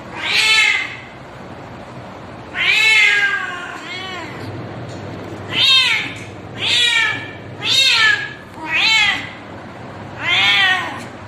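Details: Cat giving a mating call to attract a mate: seven drawn-out meows, each arching up then sliding down in a harmonic-rich wail, spaced one to two seconds apart, some with a second fainter bend at the tail, quiet background.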